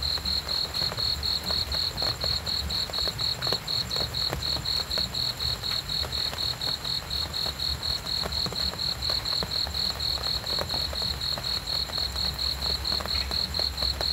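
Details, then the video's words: Cricket chirping in a steady, high-pitched series of short pulses, about three a second, evenly spaced and unbroken throughout, over a soft low rumble and faint crackling background. "cricket sounds"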